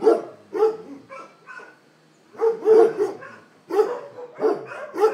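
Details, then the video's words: Dogs barking in three separate bursts of sharp, rough woofs, each burst a few quick barks, separated by short quiet gaps. "Szczekanie psów"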